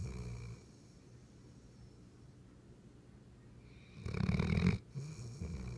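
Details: A sleeping Weimaraner snores with a low, rumbling drone, then a louder rasping snort; recorded June 10, 2015.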